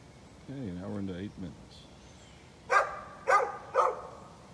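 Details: Neighbour's dog recorded on 13 November 2020: a low voiced sound early on, then three sharp, broadband barks in quick succession over the final two seconds.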